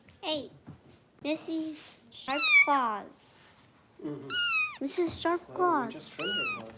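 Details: Foster kitten Harper being bottle-fed indoors by kitten rescue volunteers in Los Angeles: loud, high, thin mews that slide downward, several in quick succession, mixed with a person's voice talking close by.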